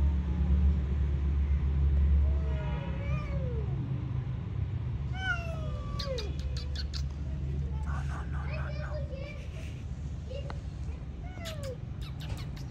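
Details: Two possibly pregnant cats growling at each other over a shared resting spot: a string of wavering, rising-and-falling yowls and moans, several short sharp cries later, with a constant low rumble underneath.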